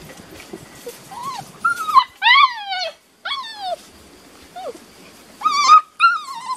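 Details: Six-and-a-half-week-old Beauceron puppies of working lines, one litter in a new pen, 27 May 2019; clear whining whimpers, some rising then falling, some sharply descending, several in quick succession with short gaps.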